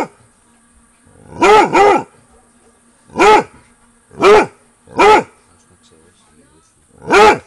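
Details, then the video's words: A Basset Hound barks into the night around 22:00 on a summer holiday near a bungalow after sensing activity, giving deep, drawn-out baying barks spaced a second or two apart. "Max Basset Hound barks into the night"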